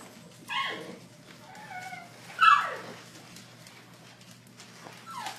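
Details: Howard, a 17½-year-old Poodle Rescue of New England dog, found wandering the streets in bitter cold, gives high, whining yelps that slide downward, two clear cries about two seconds apart with fainter whines between, indoors and otherwise quiet.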